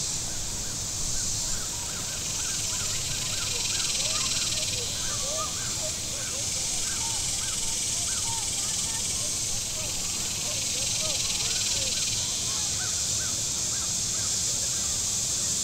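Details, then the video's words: On a warm Saturday at Table Rock Lake in southern Missouri, cicadas on the shore keep up a continuous high hiss while many quick chirping notes from other small callers chatter beneath it, over a low rumble of boat traffic. "Boating Lake Sounds and Cicadas"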